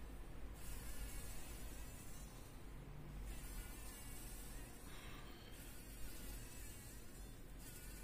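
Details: Fly trapped in a spider web in a workshop corner, struggling to survive; low, droning buzz that comes and goes in bursts over steady low background noise.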